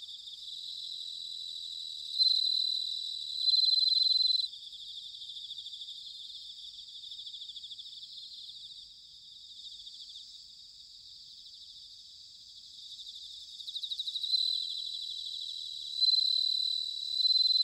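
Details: Bell cricket singing in autumn at Sanuki, Chiba Prefecture, Japan: a steady high trilled chorus, with louder sustained ringing phrases near two to four seconds and again at fourteen to seventeen seconds, pulsing rapidly over a quiet background.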